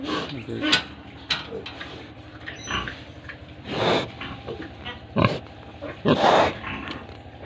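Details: Farm pigs in Tripura give a few loud, breathy grunts and snorts spaced irregularly across several seconds, with quieter murmuring and human voices mixed in behind.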